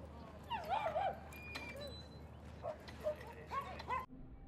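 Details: Dogs Rosy and Rocky playing with an old playmate at Seal Point Dog Park on a sunny Thursday; a dog gives wavering, rising-and-falling whines and short yips in two bursts, over steady low background hum.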